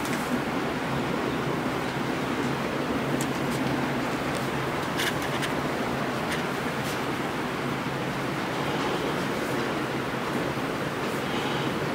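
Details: Steady broadband vehicle and road noise with a constant low hum, and no animal sound heard.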